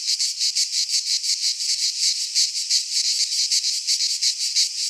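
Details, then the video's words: Midsummer chorus of cicadas in a pine forest in Greece, a harsh, steady shrill buzz throbbing in rapid regular pulses, roughly three per second, filling the recording without other sounds. "Cicadas singing in midsummer - Nature sounds from the Greek fauna - Sounds of cicadas"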